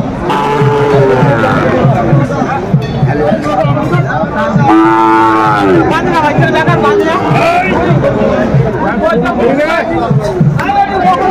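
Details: Sahiwal bull calves at a cattle market in Kurigram, Bangladesh, bought by a farmer; a deep drawn-out moo with stacked harmonics rises near the middle, amid constant crowd chatter and men talking.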